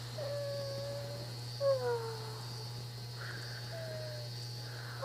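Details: A tired female pet prairie dog gives soft, whiny tonal calls that slide gently downward, over a steady electrical hum.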